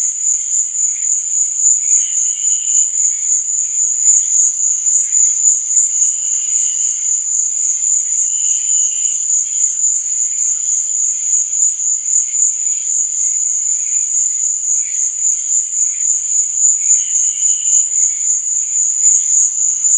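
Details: Crickets chirping at night in an unbroken, fast-pulsing high whine. Short, softer mid-pitched chirps appear now and then, around four times across the stretch.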